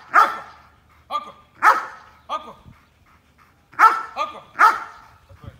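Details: Belgian Malinois at obedience training barking in loud, abrupt bursts, some doubled, with short pauses and a quieter stretch mid-sequence before three rapid barks close it out.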